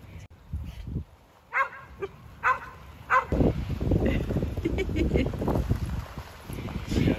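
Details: Jed, a tri-colour Border Collie nearly seven years old, barks while rounding people up on a farm to keep them on time for his ball game in the dam: three sharp barks about a second apart, then voices and low rumbling.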